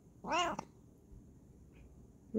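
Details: Short, bright arched meow from Kokoa the Bengal cat, loud and harmonic, followed by quiet room hum and the start of another call at the end.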